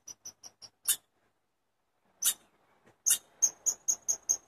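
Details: A chipmunk gives a few quick high chips, falls silent for over a second, then sounds a louder harsh note and resumes with a short run of evenly spaced chirps.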